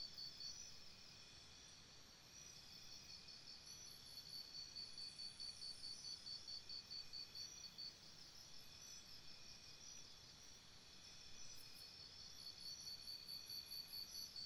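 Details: By a campsite after dark, crickets produce an unbroken high trilling chorus, rising and falling slightly in loudness, with occasional brief higher chirps layered on top.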